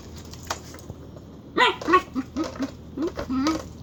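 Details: Pet dog Dagger producing weird, chicken-like noises: a quick series of short, high, clucking whines and squeaks in the second half, a faint sound before them.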